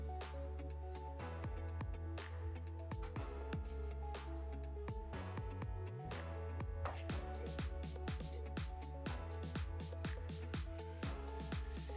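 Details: Dense, continuous electronic music with a driving bass beat and a brief rising sweep midway, with no animal calls.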